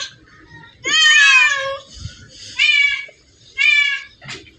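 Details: Among hundreds of cats gathered in one place, three clear drawn-out meows sound, the first longest and slightly wavering, with soft voices and small room noises between them.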